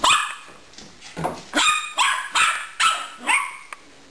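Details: Pet dog barking while playing with a hamster: six or seven quick, bright barks in four seconds, each a short, punchy yap in a small room.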